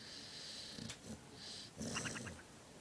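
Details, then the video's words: Sleeping pet dog named Lexus, cheek puffing while she snores; a brief breathy wheeze followed by a short fluttering snort. "Fat girl sleeping(snoring with puffy cheeks"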